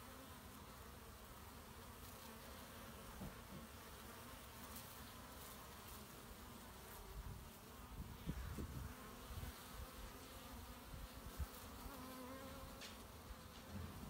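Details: Honey bees collecting pollen on 18 March 2018, a low, steady droning hum under faint broadband background noise, with a few slightly louder swells around the middle.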